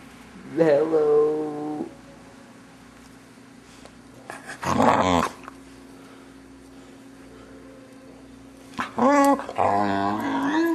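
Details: Male Vizsla puppy, six months old, giving strange vocal sounds when played with at home. Three separate bursts, a steady whine-like moan, a rough growly grunt, then a wavering howl, with long quiet gaps between.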